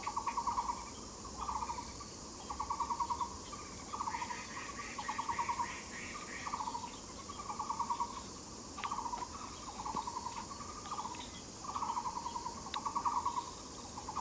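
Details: Katydid recorded on the Yixuekeng trail, giving short pulsed buzzy bursts, each about half a second long and repeated roughly every 1.5 seconds in an irregular series, with a fainter rasping series higher above during the middle.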